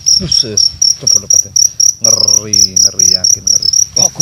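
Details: A large cricket, hunted at night by torchlight, gives loud, high, shrill chirps in quick pulsed bursts while men talk nearby.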